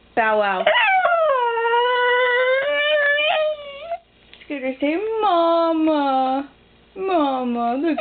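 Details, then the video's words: A female Miniature Pinscher howling indoors: long, wavering, tonal howls sliding up then sagging down, three drawn-out bouts of one to three seconds with short gaps, loud and strongly harmonic, an owner's voice nearby. "the howling min pin"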